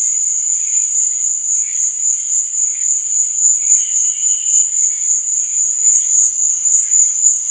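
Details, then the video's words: Chirping crickets after dark make a bright, constant high buzz-trill, joined by scattered softer, lower chirps that come and go. "Cricket Sound"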